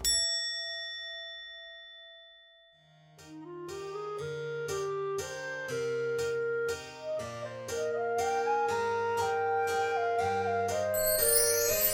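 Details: A sustained chime rings out and fades, then a bright melody of stepping notes over a low bass line plays to the end, with no animal sound present.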